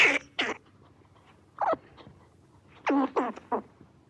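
A red squirrel gives harsh, breathy chucks and chuffs in short bursts separated by brief pauses.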